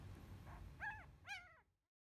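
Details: A nine-day-old field-type Labrador Retriever puppy, stroked in a palm, gives two short, high, squeaky rising-and-falling grumbles about half a second apart, each with a ringing whine-like tone, before quiet.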